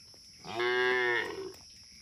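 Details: Cattle driven through forest toward their shed, playful and jumping; a single clear moo about one second long, rich in harmonics, level and slightly falling at the end, against a quiet background.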